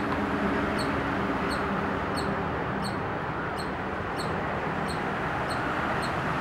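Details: Squirrel at Hebbal Park, recorded with a Nikon D5100: short, sharp high chirps repeated steadily about every two-thirds of a second, roughly ten in a row, over a loud, constant broadband background rush.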